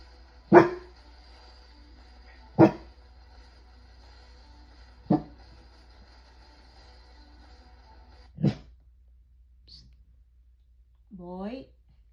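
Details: Guard dog at home barking at a delivery person: single sharp, loud barks spaced two to three seconds apart, then a short rising whine at the end, over a quiet indoor background.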